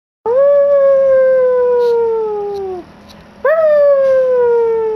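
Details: Pet Yorkshire Terrier howling: two long, clear, tonal howls with rich harmonics, the first held about two and a half seconds and sliding slowly downward, the second starting higher and easing down, with a short gap between them.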